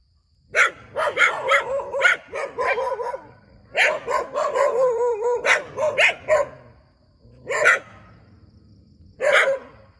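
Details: Dog barking next to a rubber plantation, a long excited run of rapid barks in two bursts, followed after short pauses by two single loud barks; tones harsh and broad, with faint background hum.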